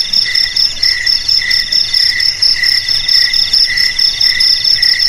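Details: A group of crickets produces a bright, ringing chorus: a sustained piercing trill on top and a lower pulsed chirp repeating roughly every half second underneath.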